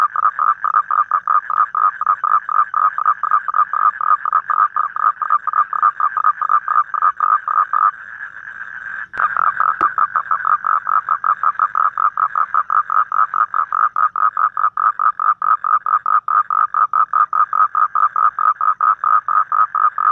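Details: Evening call of a toad in the wild: rapid, regular pulsed croaks repeated continuously, broken by a brief lull and a sharp click a little past the middle, then resuming at the same fast steady rate.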